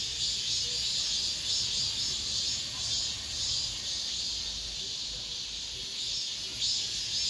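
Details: Cicadas singing in an apartment complex at the close of summer, the last of the season: a steady, dense high-pitched buzzing drone with no breaks, slowly swelling and fading slightly over several seconds.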